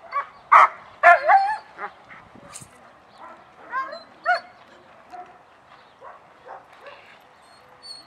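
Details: German Shepherd dogs at the start of a social training class, reacting with lots of energy: scattered sharp barks and yelps, several overlapping, loudest in the first two seconds, then fainter irregular calls.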